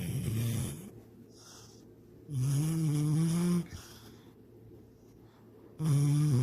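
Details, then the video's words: Dreaming of rabbits and lake swims, Sydney the dog snores loudly indoors: drawn-out, nasal, slightly rising groans roughly every three seconds, each over a second long, with quiet gaps between. "My SNORING DOG SYDNEY!"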